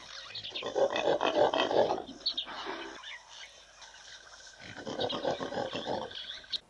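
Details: A rutting impala ram in Southern Africa gives rough, guttural snorting grunts in two fast bursts of about two seconds each, pulsing roughly three times a second, separated by a quiet pause.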